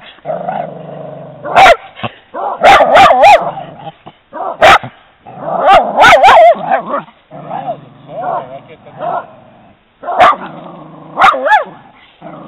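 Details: Italian Greyhound on a walk reacting to a horse, giving rapid bursts of sharp high barks mixed with whiny yelping and growly vocalising, several loud clusters across the recording.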